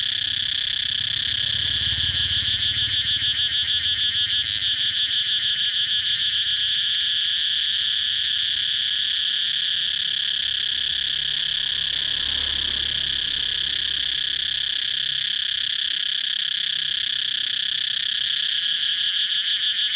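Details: Steady, unbroken buzz of a singing cicada, shrill and even for the full length, with a rapid pulsed shimmer at the start and again near the end.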